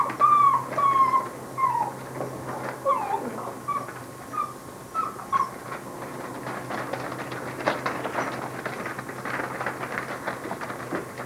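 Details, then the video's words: Basset Hound puppies whimpering: thin, high, slightly falling whines repeated in quick bursts through the first five seconds, then fading under steady rustling and background noise. "Adorable Basset Hound Puppies"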